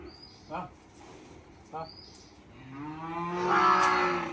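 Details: Farm water buffalo, herd animals said to love resting in muddy ground, heard as a low, drawn-out moaning call that swells in loudness over the last two seconds, after two brief knocks and faint background talk.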